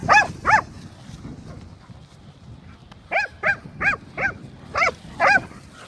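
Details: Leonberger dog possessively guarding a new toy: a run of short, moaning, arching yowls with rich harmonics, two at the start, then six more in quick succession about every half second, with faint rustling between.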